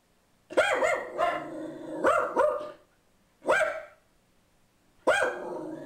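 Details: From a bench, pug mix Boo Radley barks at an ad man at the door: clusters of two or three sharp, high barks, then single barks spaced about a second and a half apart.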